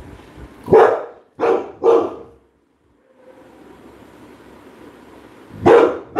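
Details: Labrador Retriever barking loudly indoors: a sharp bark, then two quick barks close together, a pause with low background murmur, then two more barks near the end.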